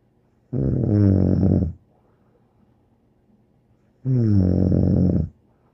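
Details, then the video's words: Bear the dog snores in a quiet room: two drawn-out, harsh, low-pitched snores, each over a second long, about three seconds apart. "More angel Bear Snoring"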